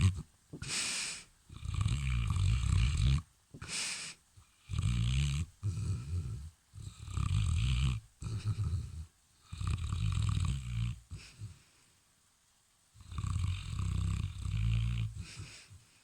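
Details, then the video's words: Dog asleep and snoring loudly, low throaty rumbles lasting one to two seconds each, repeated with uneven gaps and a longer silent pause near the end. "Той випадок, коли навіть у вісні продовжуєш охороняти), бо твій храп лякає навіть сусідську собаку)"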